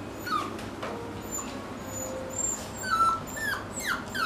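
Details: Male Toy Poodle on a trial day at a dog daycare, giving faint, short high whimpers scattered through a quiet room, some briefly rising or falling.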